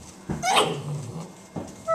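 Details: Great Dane puppies kept indoors in their pen: one high, whining yelp that rises and falls sharply, followed by a softer, shorter sound near the end.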